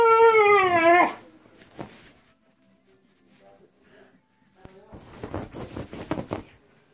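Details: Siberian husky having a fit, letting out a loud wavering, warbling howl lasting about a second, followed by quieter rustling, a click and a burst of scuffling noise, with a person asking questions.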